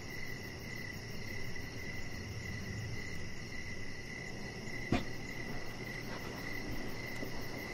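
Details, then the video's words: Evening cricket chorus recorded outside on a deck with a chihuahua puppy; chirps repeat steadily about twice a second over low background noise, broken once by a sharp knock near the five-second mark. "Chihuahua Puppy Laying On Deck with Cricket Sounds"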